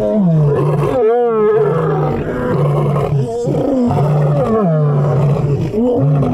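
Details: Lion roar sequence with a loud drawn-out moaning roar early on, then repeated deep grunts, each about a second long, pulsing almost without pause.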